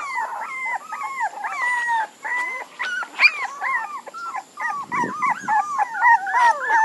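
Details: Puppies whining together in a dense chorus of high, arched whimpers, each rising then falling, overlapping constantly with a few sharper yips and a brief rustling scuffle near the end.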